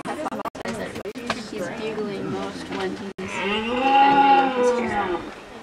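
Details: A red deer stag, the focal male with a broken right antler, gives a long, harsh, droning roar rich in overtones after a man speaks; he roars near other males and his harem at Fossil Rim Wildlife Center.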